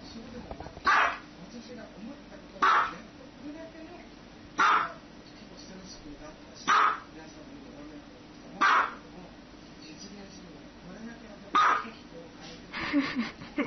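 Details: Dog giving single loud barks, six in a row, each short and harsh, repeated roughly every two seconds at an even pace against a low background hiss.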